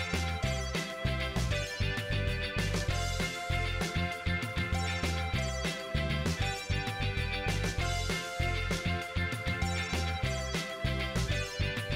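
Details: Funky guitar-driven instrumental music with a steady beat plays throughout, and no animal is heard.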